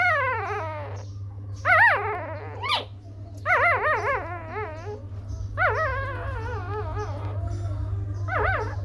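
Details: Several little puppies give overlapping whimpers and yips, warbling whines that rise and fall in quick wavy pitch, coming in bursts almost continuously, with a constant low background hum.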